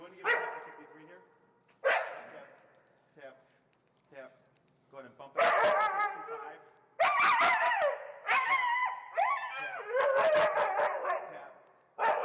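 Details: Extremely vocal feral husky Finnegan objecting to heel training with pressure in Chicago: quieter whines first, then a long run of loud, warbling, yodel-like howls in several outbursts over the final seconds.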